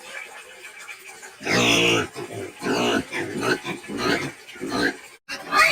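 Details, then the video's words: Medium-sized dual-purpose pigs, a rustic field-bred meat and lard breed, letting out a loud harsh scream followed by a run of shorter raspy squeals and grunts, roughly one every half second. "SOM DE PORCO HIDDEN - SOUND OF SCREAMING PIG"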